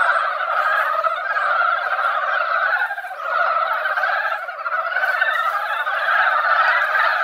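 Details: Massed mountain frogs calling at a mountain pond they reached after a light rain in spawning season. A thick, rolling croaking chorus that swells and fades slightly around the midpoint, then builds again.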